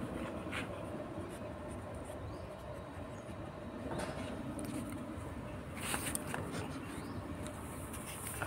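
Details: Steady low room rumble with faint distant traffic-like hum and a few soft knocks, no animal voice.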